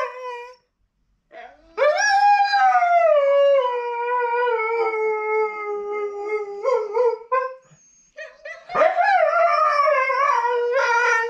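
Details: Catahoula Leopard Dog Addie, listening to herself on a laptop, gives a short opening note, then a long howl sliding down from a high start, a pause, and a second rising-and-falling howl with faint grunts between.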